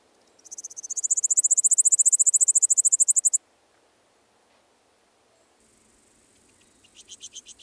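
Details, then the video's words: Littoral Dark Bush-cricket recorded at Seewiesen, Germany, on 11 July 2023: a loud, high-pitched rasping pulse train lasting about three seconds, roughly a dozen pulses per second, then quiet and a second, softer pulsed burst near the end. "Pholidoptera littoralis -- Küsten-Strauchschrecke -- Littoral Dark Bush-cricket"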